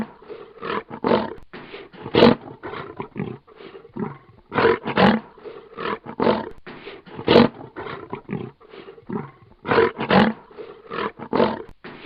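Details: A lion growls in rough, throaty bursts that swell and fade every two to three seconds.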